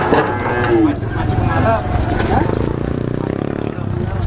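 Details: A short low moo from cattle jumping onto a truck, mixed with men talking nearby and a steady rattling engine-like rumble.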